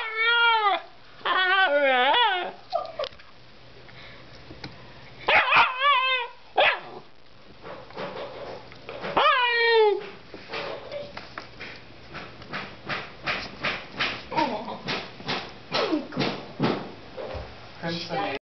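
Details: A small male Siberian husky yowls and whines in long, wavering, rising-and-falling cries, stubbornly demanding another dog's bone.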